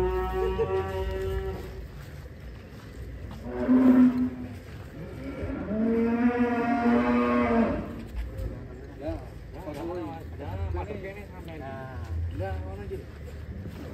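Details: Ken Arok Bimasakti, a giant contest cattle bound for a DKI show, lets out a loud, long, rich lowing moo, preceded by a shorter bellow, then softer wavering moans, with low rumbling background noise.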